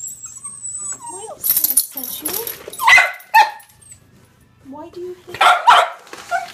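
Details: Female dog barking at a printer she is afraid of, indoors: sharp bursts of barking and yelps mixed with whining, while a person speaks soothing words to calm her.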